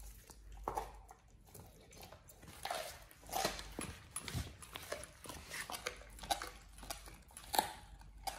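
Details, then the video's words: Pit Bull Oliang works through a raw ostrich paw, a first-time snack for healthy teeth and jaw exercise; steady gnawing with repeated sharp cracks and wet chomps across the whole stretch. "Oliang the Pit Bull 1st time eats Raw Ostrich PAW [ASMR] BARF | MUKBANG 動物の咀嚼音 | 犬が生の肉を食べる"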